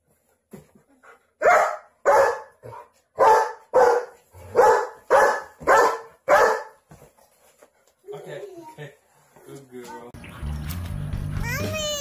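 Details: German Shepherd protecting babies and kids: a run of about eight loud, deep barks spaced roughly every half second to second, followed by quieter sounds and then louder, more varied sounds toward the end.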